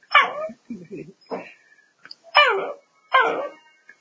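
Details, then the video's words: Pet dog said by its owner to be 'talking', giving about five drawn-out, whiny yowls in four seconds. Each one starts high and slides downward, with brief grumbling sounds between them. "Hablando con mi perro"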